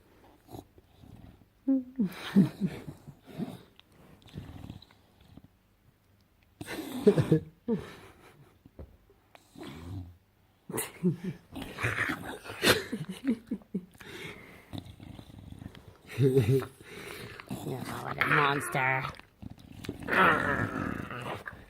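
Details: Bulldog making weird, gremlin-like noises indoors: irregular bursts of low growling, grunting and wheezy snorts, with gaps of silence and a person's voice chattering and laughing at the dog between the sounds.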